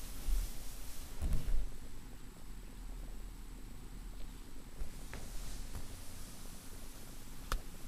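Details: Rosi the cat purring indoors in a small room: a steady, deep, low rumble running through the whole stretch, with a few soft rustles and clicks over it.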